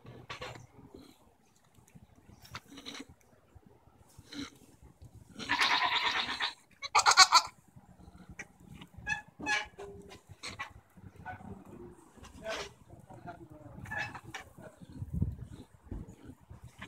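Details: Goats arguing, June 24, 2014: a raspy bleat and a shorter cry in the middle of the recording, surrounded by footsteps, knocks and a man's voice calling instructions.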